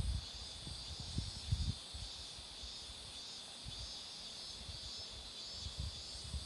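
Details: Cicadas droning by a road lined with blooming marigolds; the high, even buzz holds throughout, over muffled wind noise and a few soft bumps early on.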